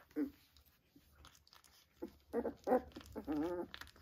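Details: Three-week-old Vizsla puppies with their mother, squeaking in short nasal whines and grunts, with a longer wavering whimper near the end. Soft rustling and mouthing noises fill the gaps between calls.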